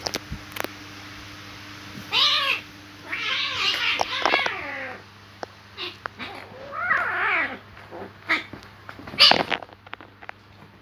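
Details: Cats fighting: scattered bursts of harsh, wavering yowls with stacked harmonics, loudest around two, three to four and seven seconds, separated by quieter gaps, a sharp hiss-like burst near nine seconds, and a low steady hum throughout.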